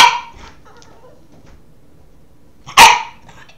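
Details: Gus, a Boston terrier puppy, wanting to play: two loud, sharp, raspy barks, one at the start and another almost three seconds later, with quiet indoors between.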